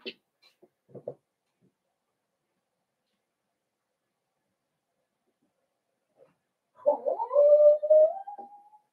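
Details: Cavalier King Charles Spaniel puppies in a breeder's puppy pen, socializing with older resident dogs on 13 December 2022; after near silence and a few faint taps, one long, tonal, slightly wavering whine rises and holds for about two seconds.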